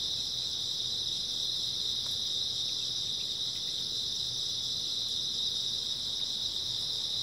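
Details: Grass insects chirping on an early autumn night, a dense steady high-pitched trilling chorus held without pause, with faint low rumble beneath.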